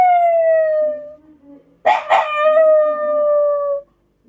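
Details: Kept black Shiba Inu that howls every day, here answering a passing scrap-collection truck: a long, pure howl gently falling over a second, a soft low whine, then a louder howl with a rough, broken start that steadies into a smooth drawn-out tone.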